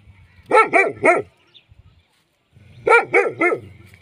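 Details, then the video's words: Dog barking in two quick bursts of three sharp, loud barks each, separated by a short pause of quiet. "Dogs Free Sound"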